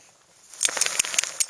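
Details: In snowy Rocky Mountain backcountry with snow nearly two feet deep, a chipmunk gives a quick run of sharp, high chips, about five notes in under a second.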